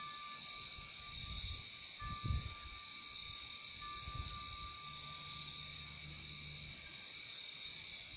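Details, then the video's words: Crickets at night: a dense, unbroken high-pitched trilling chorus holds steady throughout, with a fainter, lower pure tone running beneath it and soft, low thumps and rumbles drifting in the background. "Relaxing sound of crickets"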